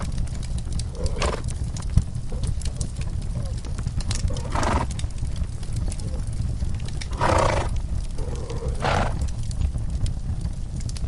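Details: Horses give short, breathy snorts every few seconds while relaxing in a cozy stall, over a deep, steady rumble and crackle of a fireplace.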